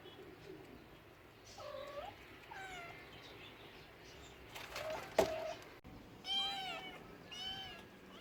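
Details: Several short cat meows follow one another, some brief and bent and others longer and curving. A sharp click or knock falls between them, over a low background hiss.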